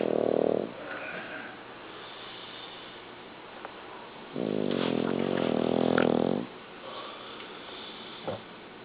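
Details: Sleeping pet dog indoors snoring loudly; a short snore at the start, then one long, low rumbling snore of about two seconds, with faint rustling between.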